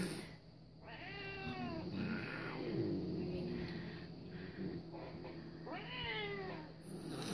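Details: Pet cat reacting to cat videos, giving two drawn-out harmonic meows, one near the start and one near the end, separated by quieter rustling over a constant low hum.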